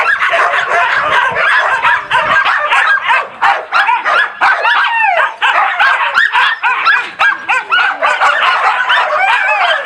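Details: A group of husky and laika puppies, loud, on 4 June 2016, keep up a crowded din of yelping barks mixed with wavering, upward-sliding howls and whines, many dogs calling at once for the whole stretch.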